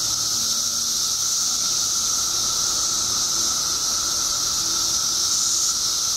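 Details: Periodical cicadas swarming in Illinois after 17 years underground, billions strong: an intense, shrill, continuous hissing roar with a steady lower whine running beneath it and nothing else audible.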